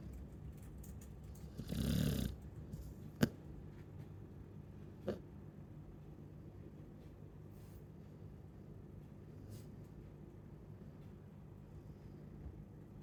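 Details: One loud, harsh snore from a Chow Chow lasts about half a second, followed by quiet low breathing and a couple of sharp clicks.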